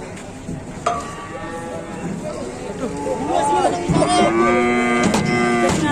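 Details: Cattle climbing down from an overturned truck; after a noisy start with clatter, drawn-out harmonic moos swell from about halfway, loud and slightly rising, amid background bustle and faint voices.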